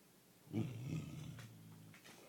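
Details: Five-year-old female American Mastiff named Dot indoors in the morning, talking to wake her owner so she can be let out to pee: a low, soft, harmonic grumbling moan rising and fading over about a second and a half in a quiet room.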